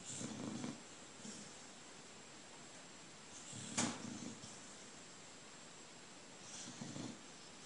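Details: Old dog snoring while dreaming in the morning, feet moving as if chasing something, having barked in its sleep moments earlier; three soft, breathy broadband snores roughly three seconds apart over a faint steady indoor hiss.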